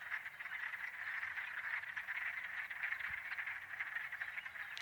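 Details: In early spring in Michigan, a dense chorus of wood frogs gives hoarse, duck-like quacking clucks that overlap without pause.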